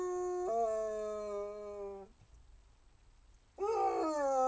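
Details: Basset Hound howling: a long tonal note that steps up after half a second, holds steady, then falls away, followed by a short pause and a second rising howl.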